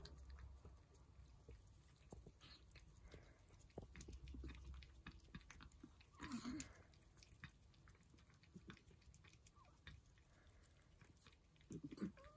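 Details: Persian cats eating breakfast, with soft crunching, chewing and lapping clicks against a quiet room.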